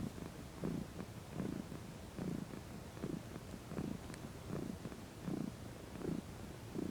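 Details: Domestic cat, female, lounging and relaxing in the sun, purring: soft low rumbling pulses repeated about every 0.7 seconds in a steady rhythm, quiet throughout.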